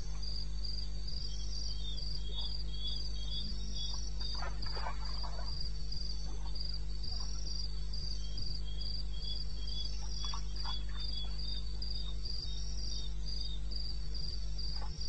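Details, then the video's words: Crickets in the wilderness of eastern Botswana at 2:30 am, 21 May 2016, give high, bright chirps in a steady train, roughly three per second, with some overlapping callers, over a constant low hum and faint scattered clicks. "1 Hour cricket sound-Africa"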